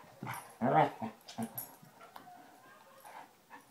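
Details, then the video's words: Two Basset Hounds, Tracker and the new puppy Ranger, rough housing in play: a short burst of low harmonic growling and grumbling near the start, then scattered softer snuffles and yips fading out. "Basset Hounds playing"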